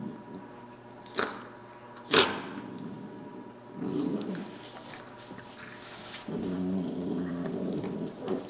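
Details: Puppies at play indoors, giving low rumbling growls around 200 to 500 in pitch from about four seconds on, with two sharp clattering knocks near the start and steady background hum.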